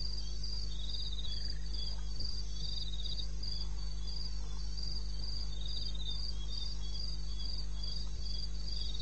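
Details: Night crickets in the wilds of eastern Botswana, recorded 21 May 2016 at 02:30. High rhythmic chirping pulses without pause, layered by more than one caller, with a low continuous hum and a brief faint lower whistle.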